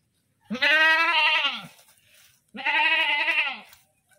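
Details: Goat screaming in two long, strained, wavering bleats of about a second each, back to back with a short pause, strongly harmonic and loud.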